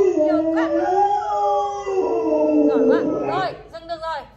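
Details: A pet Alaskan Malamute, prompted by its owner, gives a long, wavering, wolf-like howl that slides up and down in pitch.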